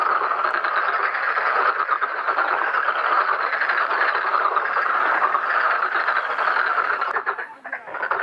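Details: A dense chorus of many Black-spotted pond frogs at a pond during mating and egg-laying, rapid rattling croaks merging into a continuous breeding din.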